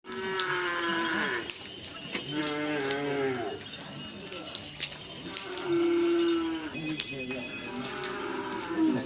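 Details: Madura cattle at bull race (karapan sapi) training on a field in Indonesia, giving several long, drawn-out moos with rising and falling tones, over crowd noise and a sustained tone.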